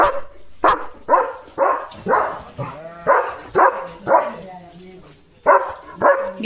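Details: German Shepherd at home reacting to a dog passing the yard gate in the morning, barking while running; a steady series of about ten coarse barks, a brief lull, then two more barks, with a person speaking faintly.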